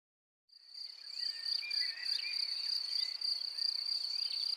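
A field cricket chirps steadily, a shrill high-pitched trill pulsing several times a second.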